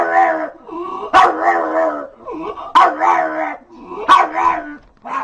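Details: Dog barking, one of several bark types: three sharp, explosive barks roughly every one and a half seconds, set against a continuous harmonic, voice-like tone.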